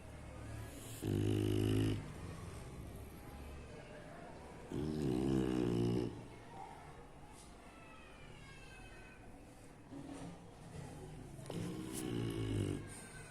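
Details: A sleeping bulldog snoring: loud, rough, low rasping snores lasting about one to one and a half seconds, at roughly 1, 5 and 12 seconds, with quieter breathing between them.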